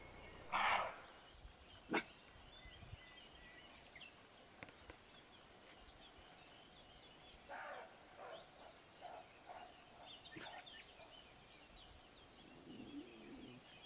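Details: Roe deer calling: one loud, harsh bark near the start, a shorter sharp one about a second later, then a series of fainter calls with a light background hiss.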